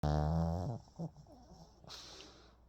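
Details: Sleeping Pomeranian snoring indoors: a loud, low, harmonic snore in the first second, then a short grunt and soft breathy exhales.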